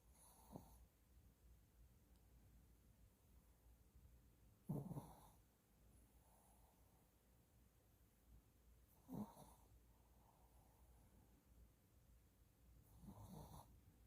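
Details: Sleeping Shih Tzu puppy snoring softly: four brief snorting breaths spaced about four seconds apart over a quiet, faintly hissing room.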